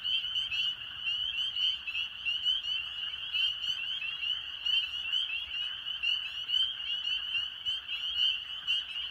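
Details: Spring peeper (Pseudacris crucifer) chorus in April wetland, Maine: countless high, piercing peeps overlapping into a continuous shrill ring.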